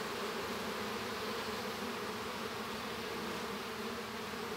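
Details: Many honey bees buzz together in the hive around a hatching young bee, giving an unbroken, even droning hum with a soft hiss on top.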